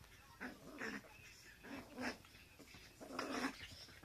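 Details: Teacup Poodle, one of a pair kept as a 'married couple', with the 'wife' taking her 'husband's' belongings. Three short grumbling growls at about one-second intervals, each a rough, mid-pitched burst, in a quiet room.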